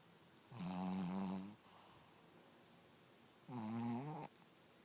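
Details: Poppyseed, a Pekingese and Chihuahua mix dog, snoring: two drawn-out, buzzy, harmonic snores, each about a second long and roughly three seconds apart, with near-silence in a quiet indoor space between them.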